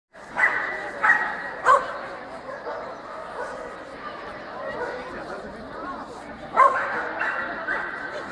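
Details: Swedish Vallhund barking at a breed special show in Strängnäs on 15 March 2015, best male ring; sharp barks come in bursts of three, a pause, then three more, over steady indoor crowd chatter.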